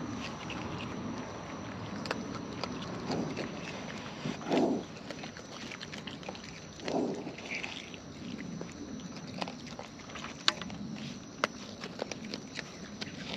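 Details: Raccoons in the wild feeding up close: continuous soft munching and clicking bites, broken by two short low grunting sounds partway through, over a light hiss of background noise.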